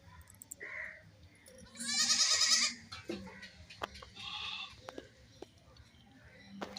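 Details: Baby goats at play, with one loud quavering bleat near the middle, harmonic-rich and about a second long, followed by a softer bleat and scattered clicks and knocks.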